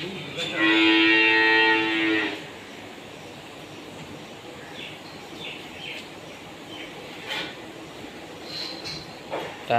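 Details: Bull called Khan Bahadur, the last animal delivered from a cattle farm for Eid al-Adha, gives one loud, drawn-out, harmonic moo lasting about two seconds, followed by scuffling, handling noises and a man's voice.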